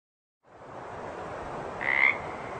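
A water frog gives a short, rasping croak against a steady hissing background.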